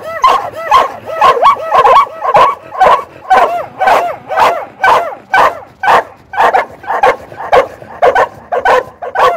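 An Australian Cattle Dog barks in a steady series of high, ringing yaps about twice a second.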